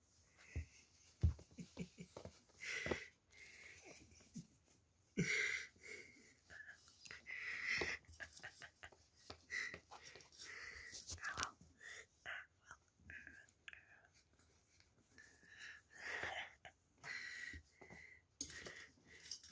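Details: Young Beagle puppies taking their first steps indoors give a long run of high, thin squeaks and whimpers, some short and some drawn out, mixed with snuffling, breathing and shuffling sounds in a small room.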